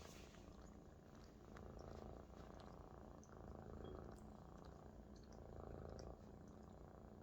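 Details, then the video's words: Maine Coon kitten resting contentedly on a large adult Maine Coon, purring loudly indoors; a steady low rumbling purr with breathing-paced swells, continuous throughout, faint light clicks above. "A Big Friend Is the Best Bed for a Purring Kitten"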